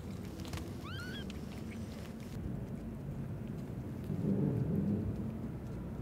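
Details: A single thin, rising-then-falling cry from a newborn kitten trapped in an old warehouse, heard in the evening, set against a constant deep background rumble with a swelling low noise later.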